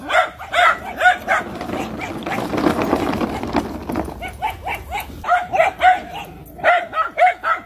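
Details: Miniature Schnauzer yapping in quick repeated barks. A loud noisy rustling burst masks the middle, and then a steady series of short sharp barks resumes.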